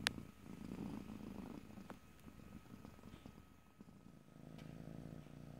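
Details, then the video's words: Purring of a domestic cat in stereo, low rumbling strongest in the first second, then fading to a quieter murmur with scattered clicks and small rustles before the rumble returns near the end. "ASMR Cat: Purring #5"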